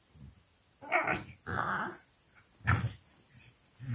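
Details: FCI English Bulldog puppies at a 4 am pen play session in Nairobi, Kenya: rough, buzzy growls in three or four loud bursts of about half a second, with quiet gaps and brief grunts between them.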